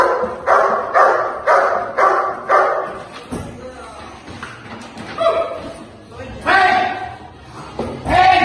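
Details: A dog in protection training gives several rough barks at first, then sparser barks mixed with a person talking in a reverberant space.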